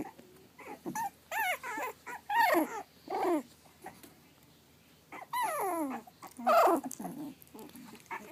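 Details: Whining cries from Pug/Dachshund mix puppies aged three and a half weeks: drawn-out, falling and wavering whimpers, some overlapping as if from more than one pup, in clusters with brief quiet gaps.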